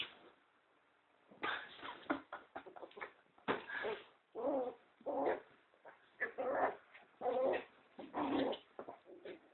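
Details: Nino, a two-month-old pinscher puppy, playing and being pulled toward a hole: a run of short puppy growls, whimpers and yips in uneven bursts, roughly one a second, with laughter at the start.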